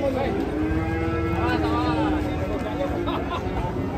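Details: Indonesian sacrificial cattle running wild, a long low moo held steady for about two seconds with a harmonic overtone ladder, over constant crowd chatter and rumbling outdoor noise.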